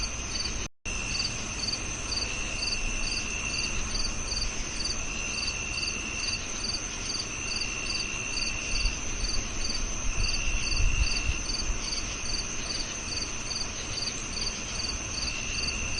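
Crickets chirp steadily in high, pulsing trills against a low background rumble.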